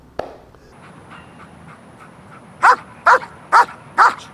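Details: Axel, a dog in protection training doing a leg exercise, gives four sharp loud barks about half a second apart after a quiet opening with a single click.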